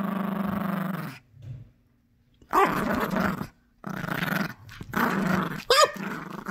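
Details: Gracie, a sassy Yorkshire Terrier puppy protective of her toys, growls during tug-of-war over a new squeaky toy indoors: a low steady rumbling growl, then rough noisy growl bursts broken by brief pauses, with faint squeaks.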